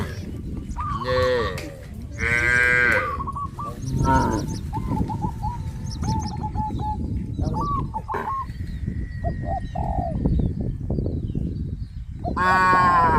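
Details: Farm cattle in a village herd going out to green grass fields low with several harmonic moos, quieter stretches of shuffling between, and a strong bellow at the very end.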